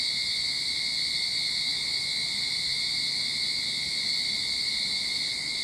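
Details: Start-of-summer cicada chorus from a Sydney backyard: an unbroken, piercing electric hum holding level the whole time, layered high bands ringing together, no other clear sounds.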